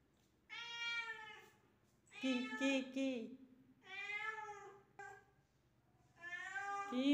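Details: Young house cat Miru, indoors, chasing a gecko. Four loud, plaintive meows come in bursts about every two seconds, some rising and wavering, with a woman's voice overlapping the second call.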